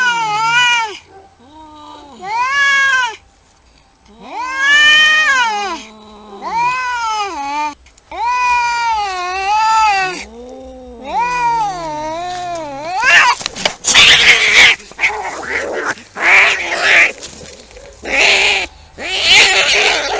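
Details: Fighting cats: a run of repeated wavering yowls and moans in the first half gives way to harsh spitting, hissing bursts and scuffling noise as the fight erupts.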